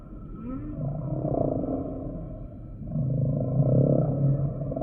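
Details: Humpback whale song in two long, low, groaning moans, each swelling for about two seconds, with faint higher tonal overtones above a rumbling underwater background.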